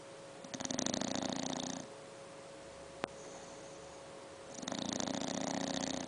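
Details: A seven-month-old English bulldog puppy snores with a raspy, fluttering rattle on each long breath, separated by quiet pauses.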